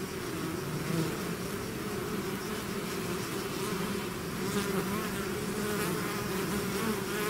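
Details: Swarming bees leaving their hive fill the air with an unbroken, low buzzing drone, many insects humming together at an even level, swelling a little toward the end.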